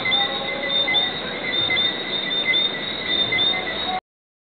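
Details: Lesser Antillean whistling frogs (Eleutherodactylus johnstonei) at night at the Divi Southwinds in Barbados give short, high, clear whistles, repeated from many callers in a steady chorus.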